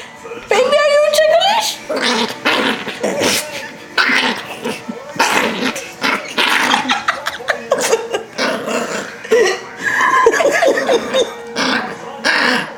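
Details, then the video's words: Yorkshire Terrier Rocky, a pet, going wild when held and tickled: opening high whine, then rapid chattering growls and short yaps, with people laughing and speaking over them. "Yorkie Does Not Like To Be Held Or Tickled!"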